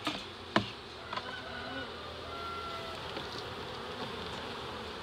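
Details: Big reproductive honey bee swarm early in the season, Dale County, Alabama, about 7 lbs of bees: constant dense humming buzz broken by a few sharp clicks and taps in the first second.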